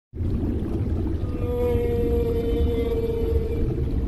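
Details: A whale gives a long, steady tonal moan that holds a level pitch with layered overtones for about two and a half seconds. A constant low rumbling wash sits underneath.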